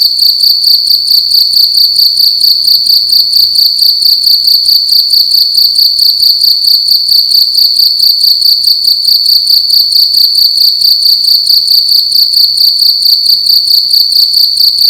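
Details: Loud cricket calling inside a room during the night: an unbroken series of shrill, high chirps repeated roughly twice a second at an even pace, nothing else audible over it.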